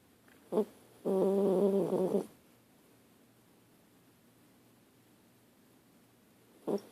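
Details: Lucy, a Dachshund, snores while asleep indoors: one drawn-out, rattling snore of about a second with a layered, buzzy tone, flanked by two short snorting breaths, and quiet room hush in between.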